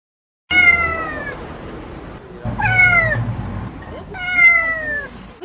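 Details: A trapped kitten crying out during a rescue gives three loud, long, falling meows, each about a second, roughly every 1.8 seconds, with faint background rumble between cries.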